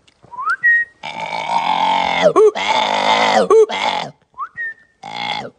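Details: Chimpanzee (Pan troglodytes), call.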